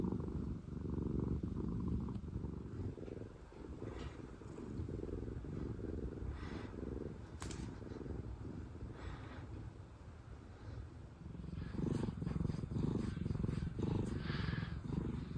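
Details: Two domestic cats, sister former rescue cats named Pina and Pico, purring with contented faces; a low continuous rumble with steady rapid pulsing, louder toward the end, with faint rustling and handling noise.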